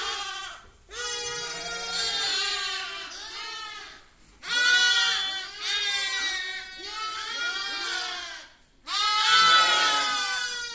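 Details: Baby lamb bleating in long, wavering, high-pitched cries with rich harmonics, three drawn-out calls separated by short pauses.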